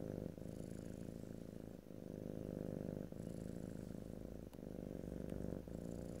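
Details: Low, rhythmic purring from a domestic cat, the rumble pulsing in breath-length waves about every one and a half seconds, with a couple of small clicks, recorded ear to ear.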